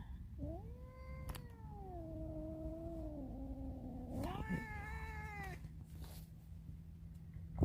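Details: Cat indoors, trying to escape, giving a long wavering meow of almost four seconds that slowly falls, then a shorter, higher, rising cry. A faint steady hum sits underneath.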